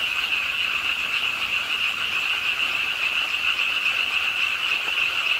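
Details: Pond-side frog chorus in Ingye Art Park, Suwon, South Korea, on a rainy late night; countless overlapping croaks form a constant high, pulsing drone with background hiss.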